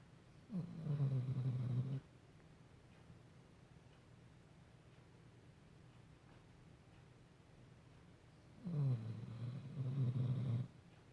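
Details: Sleeping pet dog snoring indoors: two long, low, rasping snores, each lasting about one and a half to two seconds, separated by roughly seven seconds of quiet breathing.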